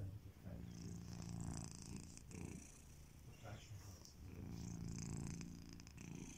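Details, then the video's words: A domesticated male cat snoring while asleep: low, rough rumbling breaths that swell and fade in two long cycles, with soft hissing exhalations between them and faint room noise. "The snoring cat"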